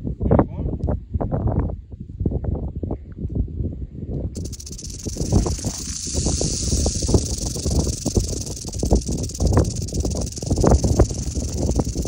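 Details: Western diamondback rattlesnake, Crotalus atrox, in western Oklahoma. After about four seconds a continuous high, hissing buzz of rattling begins and holds steady to the end, over heavy low rumbling and thumping handling or wind noise.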